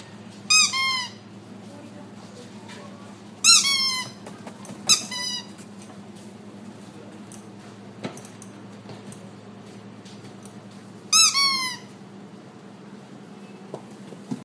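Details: Black-and-white female Border Collie puppy born in February 2018, at a pet shop, lets out a few high, squeaky whines. Each sharp cry drops in pitch. They are spaced several seconds apart, with long quiet stretches and a faint indoor hum between them.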